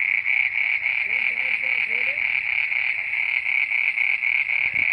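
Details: At midnight, frogs croak in an unbroken chorus of bright, rapidly pulsed trills, steady and high, with faint low wavering tones beneath early on.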